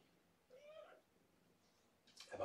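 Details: Domestic cat from a foster family at Purrfect Pals, mother Sweetie Pie with five kittens born September 24, indoors on an evening during belly rubs: one short, rising-then-falling meow of about half a second, then a person's voice and rustling.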